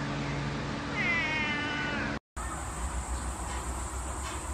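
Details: A domestic cat gives a drawn-out meow with a wavering pitch, followed by an abrupt cut to a busier scene with a steady high whine and background noise.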